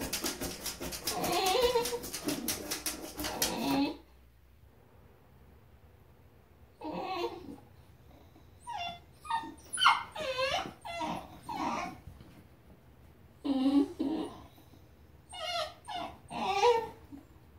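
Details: Basenjis crying at squirrels: a bout of harsh, noisy vocalising, then a pause, then a string of short, sharply bending yelps and whines in separate bursts, some curving up and down in pitch.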